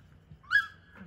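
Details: Whippet puppies aged four to six weeks at play: one brief high whine that rises sharply, peaks, then tails off, over a faint low background hum.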